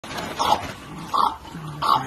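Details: French Bulldog bouncing on a trampoline and having a good time, giving three short, rough barks spaced about 0.7 seconds apart, each a brief mid-pitched burst.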